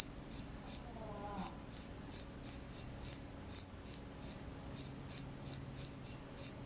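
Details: Crickets at night chirping in bright high pulses, pausing briefly after the first two, then continuing at about three per second, with a faint low hum behind.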